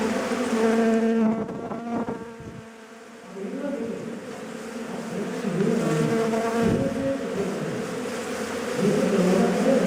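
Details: Honey bees swarming as bushmen harvest a wild beehive and its honey by primitive methods: a dense, steady droning buzz with humming overtones, dipping briefly near the third second before swelling again.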